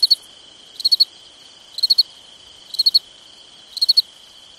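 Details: At night in summer, a cricket gives high, clipped chirps of three or four pulses, evenly spaced about a second apart, above a steady insect hum.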